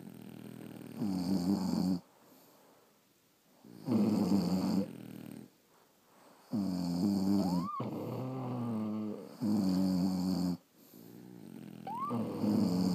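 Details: Several French Bulldogs snoring while asleep indoors at night, long rasping breaths in bursts about every three seconds, low harmonic rumble with occasional rising squeaky whistles on the inhale, quiet pauses between breaths.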